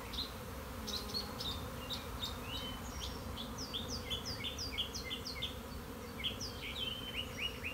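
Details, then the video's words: Honey bee swarm, a keeper's own bees swarming on March 26, 2021: a dense, steady low buzzing drone fills the clip while birds chirp above it in short, bright, repeated notes. "My Honey Bees are Swarming!"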